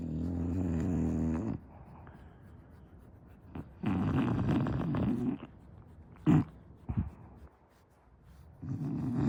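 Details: A sleeping English Bulldog snoring indoors: deep, rattling, low snores in long drawn breaths, each lasting about a second, separated by quieter breathing, with a brief sharp snort near the middle.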